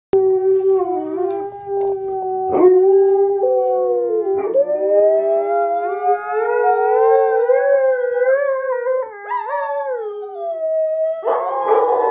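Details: Three pet Alaskan Malamutes, Sojou, Fish and Dotty, howling while watching one of their own videos played back on a computer screen; long, steady, overlapping tones that slowly rise and waver, several voices layered, with brief sharp breaks between.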